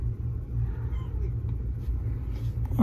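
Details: Salem, a 2.5-year-old black FIV-positive male cat given up by his owner, at Baltimore County Animal Services in Baldwin, Maryland, on 07/02/2022, lonely and sweet; a steady low rumbling purr throbs underneath, with a person's soft praise at the end.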